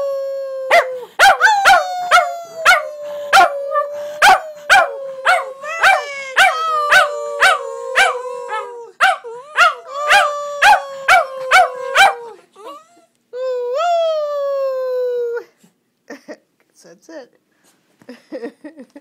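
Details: Border Terriers howling as they sing along with their owner; dense rapid yips over a slowly falling drawn-out howl, then a single long rising-and-falling howl, fading into a few quiet yips at the end.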